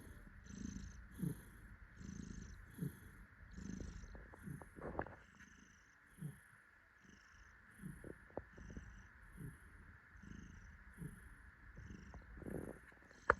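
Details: Happy tuxedo cat purring while held and cuddled by its owner; soft low rhythmic purr pulses rising and falling about once a second, with light background music and tinkling chimes throughout.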